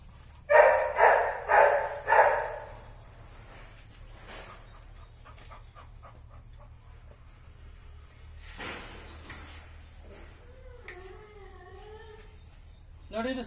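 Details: Labrador Retriever being trained in Karnataka, India, with sit, stay and heel commands: three loud barks in a row, then a quiet stretch with faint rustling and a brief wavering whine near the end.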